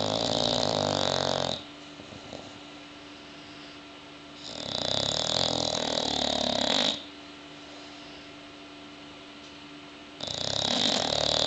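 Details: Sleeping bulldogs snore indoors in long, harsh, rasping bursts of one and a half to two and a half seconds, separated by quiet gaps of roughly three seconds, with a faint steady hum underneath.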